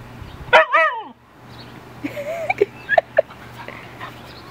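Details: Aspen, a Siberian Husky, talks to her neighbour dog through a fence: a loud, wavering, yodel-like cry of about half a second with rippling harmonics, then softer short whines and yips, over a steady low hum.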